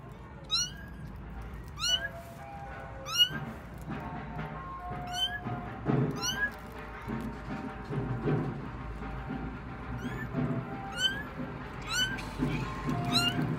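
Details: Kittens in a household cat family cry out while finding their mother: shrill upward-sweeping mews repeated about once a second, a dozen or so in a row, over low murmuring and clatter.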